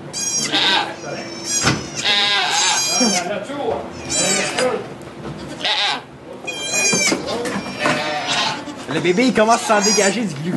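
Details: Goat bleating during the birth of two kids in a sugar shack in Quebec, Canada, recorded on an iPod Touch; loud, harmonic, wavering bleats come in several bursts, mixed with French conversation among onlookers.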